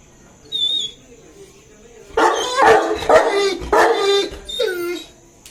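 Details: A male Saint Bernard, 2.5 years old, waits eagerly for his owner to come, giving one short high whine followed by a burst of loud, harsh barks and yelps ending in a falling whimper.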